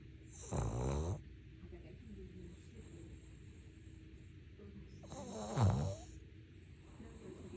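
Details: Sleeping Maltese-Shih Tzu cross named Ttuttu gives two snores roughly five seconds apart: short, throaty, vibrating inhalations. The second snore swells louder and ends with a snort-like rasp. A quiet indoor background lies between them.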